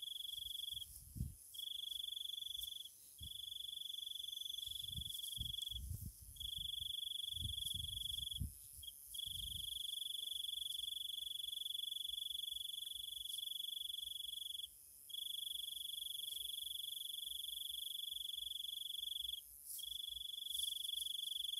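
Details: Insects singing at night in Thailand, a continuous high-pitched trill sustained in long bouts separated by brief gaps, over faint low rustling and handling knocks in the first half.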